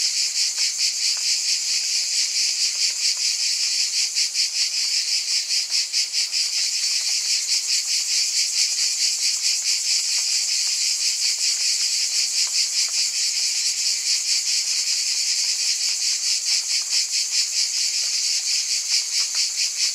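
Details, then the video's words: Massed cicadas produce a loud, high, rasping drone that beats steadily about twice per second throughout. A faint low hum is also present early and midway. "Scintillating Cicadas"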